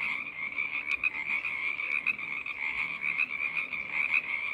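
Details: Numerous frogs chorusing together produce a continuous shrill trilling wall of sound, punctuated by a few sharp clicks near the start, steady and unbroken for the whole stretch.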